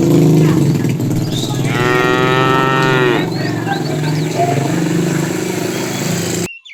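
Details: Tame cows wandering a road in search of food; a drawn-out harmonic moo near the start over constant low engine-like rumble, faint bird chirps around it.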